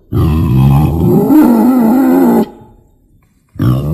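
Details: Wild boar lure sound for hunting from a hide: a deep, rough grunting squeal of about two seconds that rises slightly in pitch midway, a pause, then another grunt starting.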